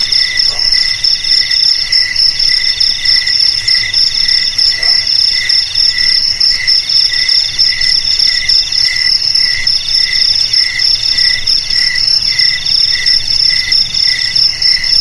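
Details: Crickets singing in a group, meant to scare rats from houses and rice fields; shrill high trills with short pulsed chirp bursts recurring roughly once a second, unbroken for the whole stretch.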